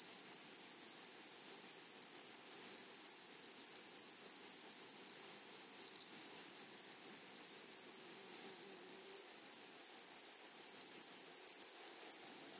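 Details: High, pulsing insect chorus from a grasshopper in a flowery meadow: a nearly unbroken shrill buzz of rapid chirps, steady throughout, with a faint low murmur near the middle.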